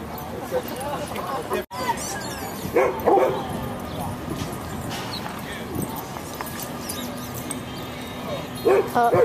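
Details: Goldendoodle puppy playing at a big dog park on December 4th, 2011, filmed on a handheld camera: a few short yappy barks around the third second and again near the end, over outdoor background noise with people talking.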